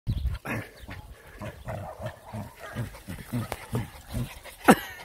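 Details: Playing with puppies, a Jack Russell Terrier gives short, low, huffing growls and grunts in quick rhythmic succession, several each second, then a single shrill yelp near the end; faint voices in the background.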